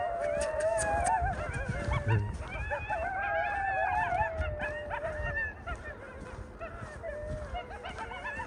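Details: Coyotes in the new year season, a chorus of wavering howls and yipping calls, one long tone gliding downward over several seconds, with scattered sharp barks and some low rumbling noise.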